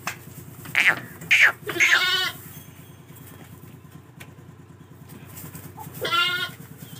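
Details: Lambs offered for sale: several short, high harmonic bleats come in a quick cluster early on. After a pause one longer wavering bleat follows, over a low steady mechanical hum.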